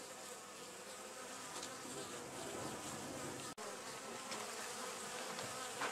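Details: At the Anson Engine Museum, a wild honey bee colony living in an old storage box produces a steady, layered hum of many wings, with wobbling buzz notes overlapping throughout and one brief dropout midway.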